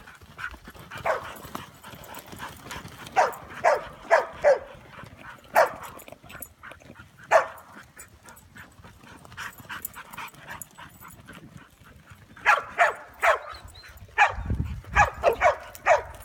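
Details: Ronin, a Chow mix attempting sheepherding, barks in irregular clusters of quick, clipped woofs, a burst early, scattered singles mid-way and a rapid volley near the end, with low rumbling noise underneath.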